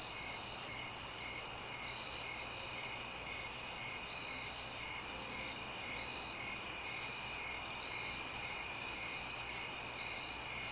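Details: Night-time suburban crickets keep up a steady, high-pitched trilling chorus, many insects chirping together without pause over a soft background hiss.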